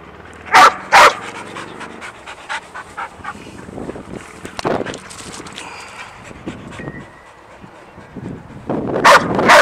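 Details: Sadie, a pet dog, excited and jumpy over an unseen squirrel: two sharp loud bursts near the start, a long stretch of quick panting and small whines, then another burst of loud sharp sounds at the end.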